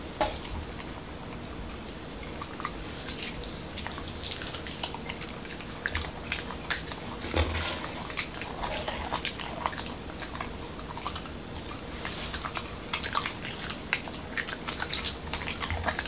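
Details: Corgi Momo, a male Pembroke Welsh Corgi from Washington DC, munches a doggy taco night meal of whole wheat shell, cucumber and lean beef: long stretch of soft wet chewing broken by occasional sharper bites and crunches in a small quiet room.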